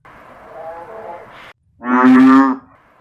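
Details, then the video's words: An American bullfrog in North Carolina in October 2018, after Hurricane Michael, gives one deep, resonant, droning note, its mating call, after a soft murmur, once mistaken for a backyard monster. "that sound is most certainly a bull frog"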